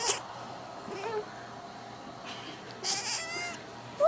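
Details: Fluffy pet cat at a window calling to birds outside, giving soft chattering, chirp-like bursts near the start and a longer wavering trill near the end, with a person speaking faintly and room hiss.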